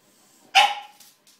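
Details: A French Bulldog indoors barking at his reflection in a mirror over a blue ball; one sharp, loud yap with a short tail, followed by faint rustling in a small room.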